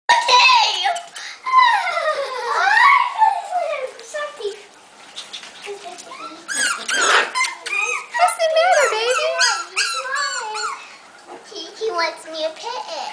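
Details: Five-week-old Havanese puppies from a litter give a busy run of high, squeaky whines and yelps that swoop up and down, overlapping one another, while music plays and a person talks softly nearby indoors.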